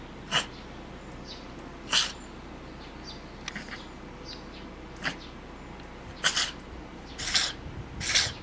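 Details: A cat sneezing over and over, its nose dripping. Scattered sharp, breathy sneezes come at irregular gaps of one to two seconds, with a tight cluster of three near the end and faint snuffling between.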